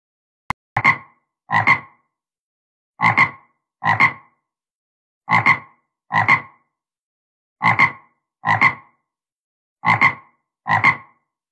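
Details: Frogs making unusual sounds: paired, grating croaks with a short double-pulse structure, repeated in a steady rhythm about every 1.2 seconds, clean and without background noise.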